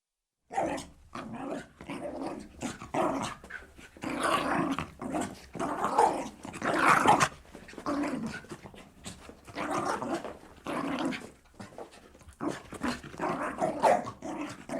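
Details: Jack Russell terrier leaping and bounding with playful energy; rough, breathy panting and growly bursts come in irregular surges, broken by short pauses.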